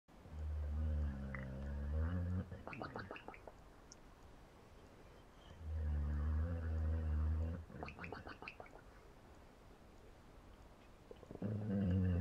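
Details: Sleeping dog snoring indoors: low, rumbling, harmonic snores about two seconds long, spaced roughly five to six seconds apart, with a soft breathy hush between them.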